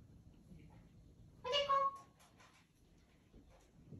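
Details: Pet cat Odeko meowing indoors for attention before the father goes out; one short bright meow with bent pitch, followed by faint rustling and soft room noise.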